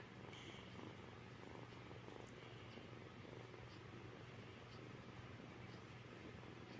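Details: An indoor house cat purrs continuously, a deep, even, unbroken rumble with faint room noise around it.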